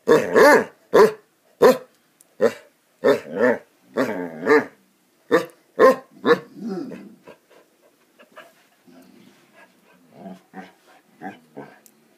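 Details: Basset Hounds playing, several dogs; a run of loud, deep harmonic barks with howl-like drawn-out notes near four seconds, then softer, quieter barks and growly yips trailing off toward the end.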